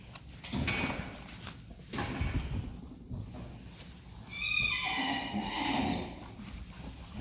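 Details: Friesian horse from a herd giving a two-second whinny, a stacked harmonic call that wavers and then slides downward, preceded by dull thuds and knocks in the stable.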